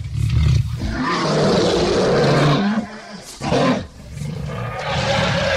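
A lion gives a deep, rasping roar that swells, then breaks off into a shorter second burst.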